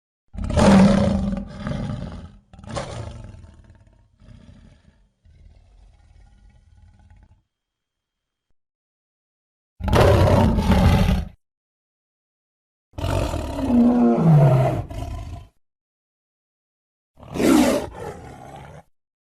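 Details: Lion roaring: a series of deep, rough bursts, each lasting one to two seconds, with a quieter, lower rumble trailing after the first and silent gaps between the later roars.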